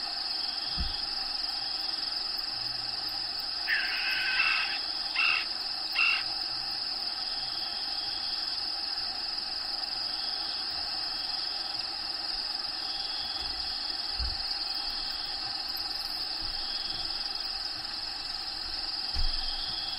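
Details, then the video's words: High continuous cricket trill inside the vivarium of a bearded dragon named Diego, with a few brief buzzy bursts near the middle and occasional low thumps. "RELAXING SOUNDS CRICKETS LOCUSTS"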